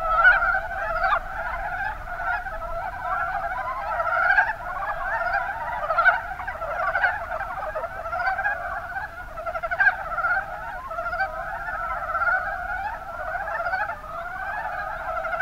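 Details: Kuma Basin, Kumamoto, Japan: a steady chorus of Mountain brown frogs, many overlapping quick clucking rattles rising and falling in loudness, with no other clear sounds.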